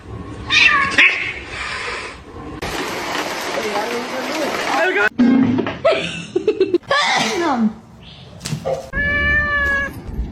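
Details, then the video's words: Domestic cat meowing among excited human voices and exclamations; near the end a clear, drawn-out harmonic meow stands out after bursts of talk and noise. "funny cats talking"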